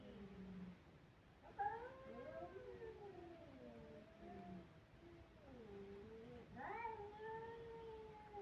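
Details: Kittens crying faintly: low, drawn-out moaning meows that waver in pitch, with two sharper rising cries, one near the start and one near the end, over a soft background hiss.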